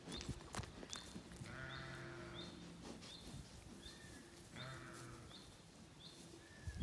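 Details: Zwartbles sheep, lambs and hoggets, in a field on a regenerative farm in County Kilkenny, Ireland, on an evening with swallows feeding overhead; one wavering, drawn-out bleat lasting over a second, with high bird chirps repeating steadily throughout.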